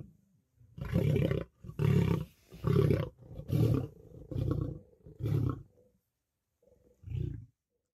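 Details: Lions, lionesses and cubs fighting for dominance over food at a kill: deep, rumbling roars in a series of about seven heavy pulses, each near half a second long, spaced roughly every second, the last after a short pause.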